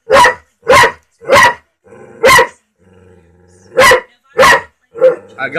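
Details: Indoor dog barking at a talking cat: seven loud, harsh barks in quick runs with a short pause midway and a soft whine at the end.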